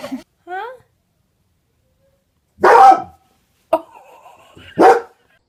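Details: Dog living with a baby barks three times, short harsh bursts about a second apart, after a brief high babyish squeal at the start; silence between the barks.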